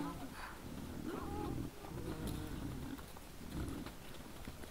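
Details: Several wild boars recorded by a trail camera on a December 2022 evening, making a run of low, chesty grunts and murmurs, with one brief higher whine, against a rustling background.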